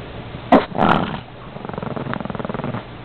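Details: Chihuahua guarding his cookie, a short sharp vocal burst and rough snarl followed by a quieter rapid pulsing rumble.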